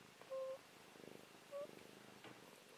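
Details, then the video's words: Sleeping domestic cat, formerly feral and now living mostly indoors, snores as it dreams: two brief bursts of rapid raspy pulsing, each just before a short high-pitched beep, in a quiet room. "Cute Cat Snoring Dreaming"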